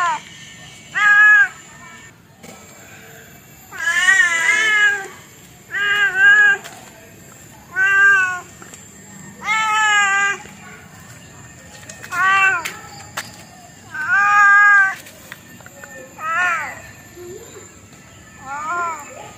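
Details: A cat meows over and over, about a dozen calls varying from short chirpy mews to longer, louder wails, irregularly spaced, with a faint steady high whine in the background.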